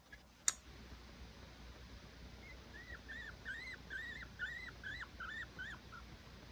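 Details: Baby pet guinea pig named Tio, still scared and learning to trust its owners, crying indoors: a run of about nine short rising-then-falling whistles, evenly spaced, after a sharp click at the start.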